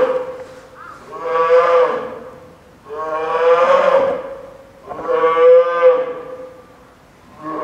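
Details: After being scolded by her mother Lala, polar bear cub Lila, a nine-month-old female at Maruyama Zoo, Sapporo, cries even louder on 2 October 2015 during a typhoon storm; three long, bawling, harmonic howls with short pauses between.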